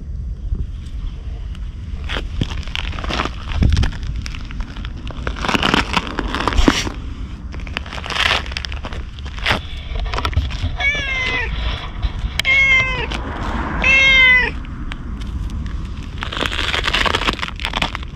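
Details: Stray ginger tabby cat approaching a man as if asking for protection: three short harmonic meows in quick succession near the middle, amid crackling rustles, handling noise and low background rumble.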